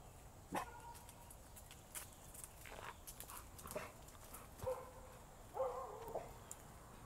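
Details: Cinnamon, a seven-week-old female American Bully puppy outdoors, gives a few short, high whining yelps spaced several seconds apart, with a longer wavering whine near the end and faint background noise.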